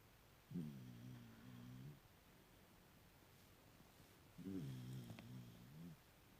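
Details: Puppy asleep indoors snoring in two long, low, droning breaths, each over a second long with a rasping harmonic tone, separated by a pause of about two and a half seconds.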